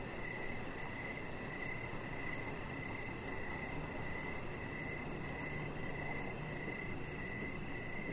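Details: Crickets chirp on an evening deck beside a lounging chihuahua puppy, a steady stream of pulsed high trills repeating evenly over soft broadband background noise.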